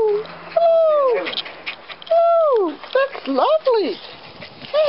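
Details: Scottish Terrier puppies giving clear, high whines that slide steeply downward, repeated several times with short gaps, some overlapping yelps between them and a person talking softly in the background.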